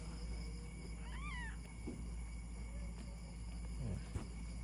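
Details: A 2-year-old female Persian cat, giving birth for the third time, gives a single brief, rising-then-falling meow over a steady low hum.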